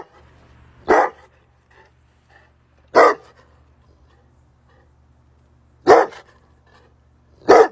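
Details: Bullmastiff barking, four loud deep single barks spaced irregularly about two to three seconds apart over a quiet background with a faint low hum.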